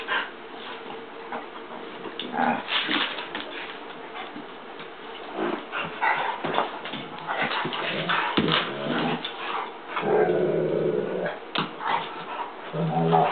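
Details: Newly adopted Mammutbull Hera tussling crazily with Jager: rapid irregular bursts of huffs, snorts and scuffles, about four per second, then a longer rumbling growl around ten seconds and another near the end.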